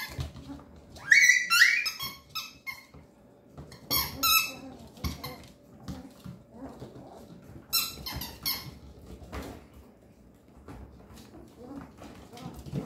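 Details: A male Papillon puppy, thirteen days old, gives a rapid run of thin, high squeaks and whimpers. Bursts cluster near the start and middle, then fade to faint, sparse squeals over soft indoor handling sounds.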